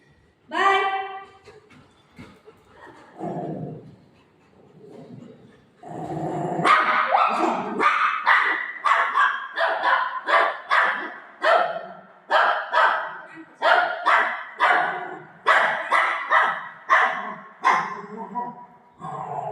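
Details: Golden Retriever dog playing with its mum at home: a short high whine first, then from about six seconds a long run of loud, sharp barks, roughly one per second, some fifteen in all, fairly even in pitch.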